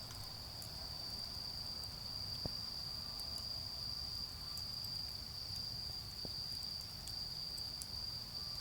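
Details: On an autumn night near a garden bonfire, autumn insects keep up a continuous high-pitched ringing drone, broken only by scattered pops of burning wood and a soft low hum of distant cars.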